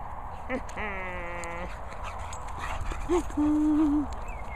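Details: English Bulldog named Molly Moo at feeding time, a drawn-out nasal whine with stacked harmonics, a short squeak, then a steady high whimper; a person urges the dog on, with low steady background noise.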